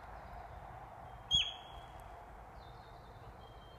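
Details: Sika deer hind in the New Forest giving an alarm call: one sharp, very high squeal, brief and slightly falling in pitch, standing out from a quiet outdoor background hiss, with a faint thin whistle later on.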